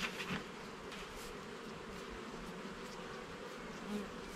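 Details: Garden hive of honey bees, opened for inspection of the frames, gives off a continuous, even, droning hum with no other sounds standing out.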